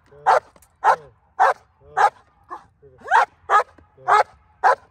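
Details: Female German Shepherd barking on command in hold and bark training before an IGP1 trial in Colorado; steady loud barks about every half second, eight in all, with low murmured speech underneath.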